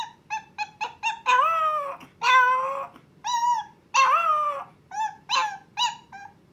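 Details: Milk, a Chihuahua puppy, howling for the first time because she wants her owner: quick choppy yips lead into two wavering howls, then more short yips and cries in a rapid series.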